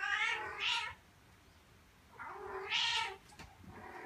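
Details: Mother cat calling her kittens to come to her and not leave her side, wanting to lead them outside where she feels safer; two drawn-out, harmonic meows about two seconds apart, the second rising then falling, in a quiet room.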